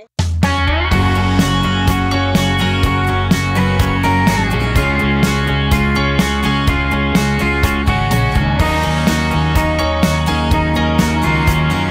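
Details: Loud guitar-driven rock music with a steady beat fills the whole recording, with no bee buzzing audible.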